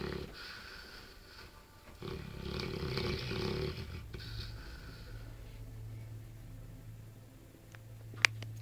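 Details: Sleeping Bullmastiff named Diego, playing in his sleep, gives rough rumbling snore breaths over the first four seconds, then a steady low hum continues with a sharp click near the end.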